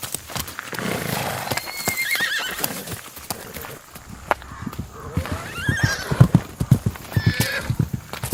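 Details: An Icelandic horse (Equus caballus) gives quavering, wavering neighs over a background of hoof clops.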